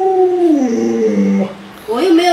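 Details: Pet Alaskan Malamute Luoluo, whose owner is sick in bed, makes a drawn-out howl that sinks in pitch, falls quiet briefly, then rises into a second, higher yowl.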